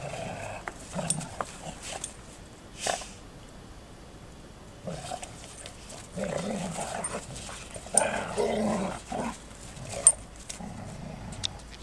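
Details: Two female Golden Retrievers play together, then suddenly start a real squabble, growling and grumbling with low rumbles broken by sharper yelps.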